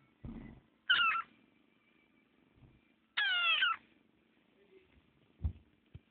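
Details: Small chubby male kitten giving squeaky meows indoors: two clear high harmonic meows about two seconds apart, the second longer and wavering downward, with a few soft knocks and thumps around them.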